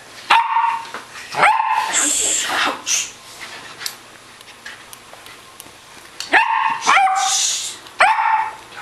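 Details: Norwegian Lundehund wrestling and playing with a friendly Bengal cat indoors; sharp high yelping barks in short bursts at about one, 1.5, 6.5, 7 and 8 seconds, with scuffling between them.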